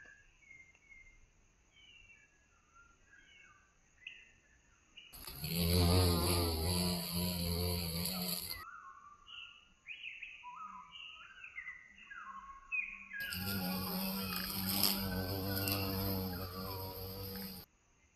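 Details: Violet carpenter bee in Mazovia, Poland, returned after being considered extinct there in 2002. Two loud, low droning buzzes of three to four seconds each interrupt a quiet background of thin twittering birdsong.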